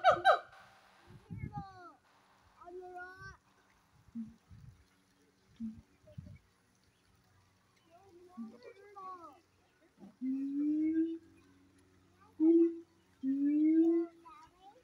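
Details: Siamang gibbons at Honolulu Zoo in 2023 trade loud hooting calls, some rising and swooping, in short repeated bursts while communicating with each other and playing.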